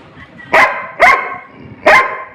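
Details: Labrador Retriever named Rimi, a pet dog, barking while fighting for food; three sharp, harmonic barks spaced about half a second apart, with faint background noise between them.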